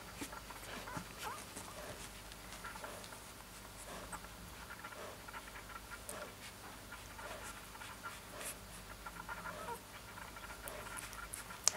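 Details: Siberian Husky puppy whimpering softly in a small room, with brief arched whines spaced through the recording amid panting and a constant background hiss.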